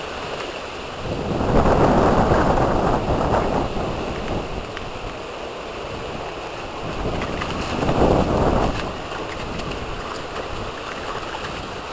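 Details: Bursts of splashing water, loud early on and again later, over a steady outdoor background rush.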